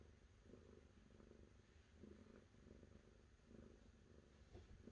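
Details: A cat purring softly, with low rumbling pulses that rise and fall in a steady rhythm against a quiet, hissy background.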